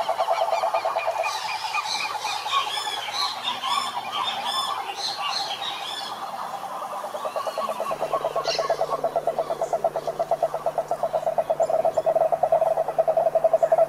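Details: Toads croaking in a pulsed, rattling chorus, growing louder and more rhythmic in the second half, with bright bird chirps and whistles over the first seconds and a steady low hum from about eight seconds.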